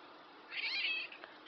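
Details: Talking black house cat letting out one short, bright meow that rises and then falls, over a steady background hiss.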